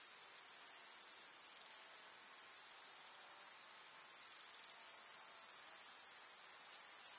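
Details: High, unbroken buzzing chorus of grasshoppers from a rural summer meadow with field flowers, steady and hissing, with small momentary dips in loudness.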